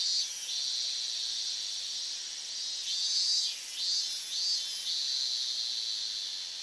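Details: Loud August 2011 chorus of higurashi cicadas at the edge of the Minamisoma evacuation zone in Fukushima: a continuous high, ringing wash with brighter pulsed bursts rising from the background around the middle.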